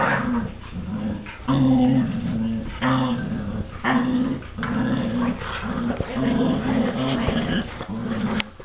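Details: A small, aggressive dog and its housemate tussle over a chew toy: continuous throaty growls pulse roughly every second, each a buzzy low snarl with rasping breath and scuffling between.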